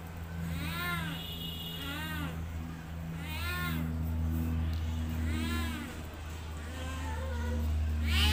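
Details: Domestic cat meowing repeatedly, drawn-out arched meows roughly once a second, each rising then falling in pitch, over a steady low engine-like hum and faint background noise.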